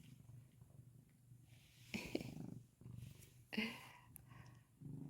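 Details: Kkomi, a house cat, keeps purring while begging for a Churu treat, a continuous low vibrating rumble broken by short louder bursts of rustling and handling.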